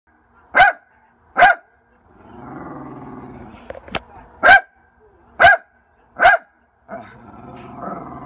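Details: A Lakeland Terrier gives loud, sharp single barks spaced about a second apart, with a low rumbling grumble between them in the middle and at the end.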